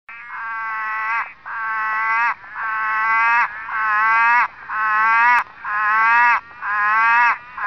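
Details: Southern orange-eyed tree frog (Litoria chloris) clinging to sharp lantana branches, calling for a mate or warning off other males: loud, harmonic, droning moans about a second long, repeated roughly once per second, with background frogs.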